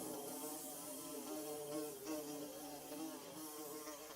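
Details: A Mizo recording of bees making their nest: a dense, humming buzz with several overlapping tones that waver slightly, over a bright background hiss.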